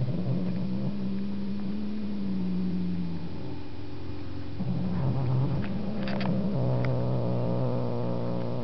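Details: A pet house cat named Markus, reacting to Webkinz: a steady low purr with a sustained hum and overtones, broken by brief pauses, with a few faint clicks.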